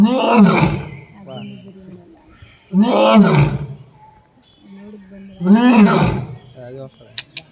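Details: A lion at Bannerghatta zoo gives deep, rough roars, each swelling and fading over about a second, repeated every few seconds.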